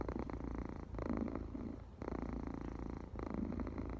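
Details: A cat's purr heard at close range, a continuous pulsing rumble broken into about one-second surges, each breath phase separated by a brief dip in loudness.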